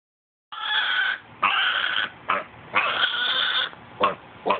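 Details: Pet pot-bellied pig "talking": a run of harsh, squealing vocal bursts with strong overtones, about six in under four seconds, some long and drawn out, others short and clipped, with no other sounds.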